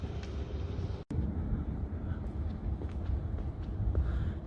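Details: Low rumbling traffic and wind noise fill the recording, with a brief dropout and no animal voices. Faint urban hiss sits above the dominant bass rumble throughout.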